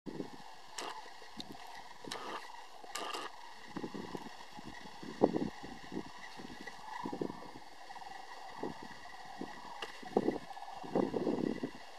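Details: A steady mechanical hum with scattered thumps and rustles of handling noise, and no clear animal calls.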